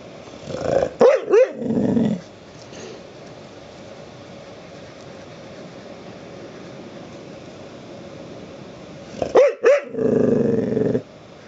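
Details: Pet dog demanding to be petted: two bursts of quick barks and growling grumbles, separated by a long quiet gap.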